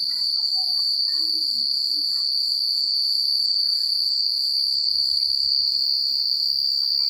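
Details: Night chorus of crickets in a quiet rural setting: one constant shrill ringing trill dominates, with a few brief higher chirps early on and a soft low rumble near the end.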